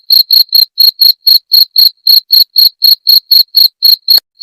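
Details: A cricket, called jangkrik genggong, calling in a rhythm said to repel rats: about sixteen crisp, shrill chirps in just over four seconds, evenly spaced, ending with a faint knock, otherwise silent surroundings.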